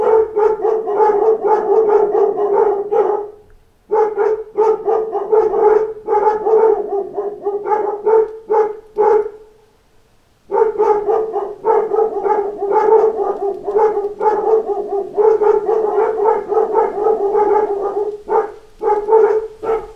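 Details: Pack of dogs reacting to knocks at the door with long stretches of rapid, overlapping barking, broken by two short lulls, then an unbroken chorus of barks to the end.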